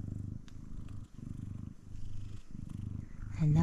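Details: Up-close purring from a male F2 Savannah cat: even, low throbbing rumble in four breath cycles, ending with a brief rising meow-like note.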